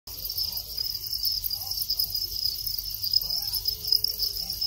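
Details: Captive Thai crickets in their breeding cycle, adult winged males chirping as they enter the mating stage; a dense, high, shimmering chirp chorus runs without pause, with faint low rumble beneath.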